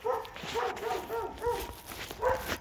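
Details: A pair of dogs in Alabama giving a string of short, tuneful, howl-like barks, each a rounded harmonic yowl repeated roughly every quarter second, with a brief pause before a final louder bark.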